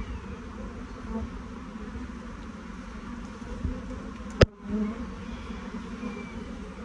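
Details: Honey bees of a swarm moving down into a hive box, even low buzzing drone broken by one loud sharp click or knock near the middle.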